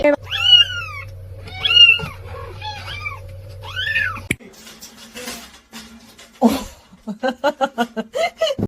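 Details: Domestic cat in a funny-cat meme compilation giving four arched, harmonic meows over about four seconds against a steady low hum, followed by an abrupt cut to clicks, a voice and a run of short rapid calls.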